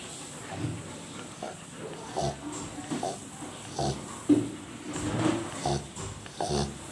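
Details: A sleeping Rottweiler snores, with rough, wheezy breaths repeating roughly every second or so.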